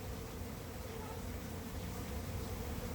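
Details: A honey bee swarm around the entrance of a red hive it has just moved into, late in the season; a rough, steady low hum with rumbling underneath.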